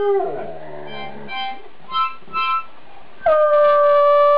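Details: Afghan hound howling along to a harmonica, apparently happy with its own singing. Wavering harmonica chords and short falling vocal slides lead into a loud, sustained, level howl filling the final second and more.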